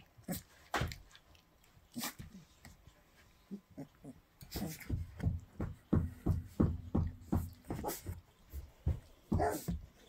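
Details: Three-week-old Llewellin Setter pups at play on 29 December 2019 at 10:32 in the morning, mouthing and pawing at littermates. Short whimpers and low grunts come in irregular bursts, then crowd into a rapid run of yelps midway through.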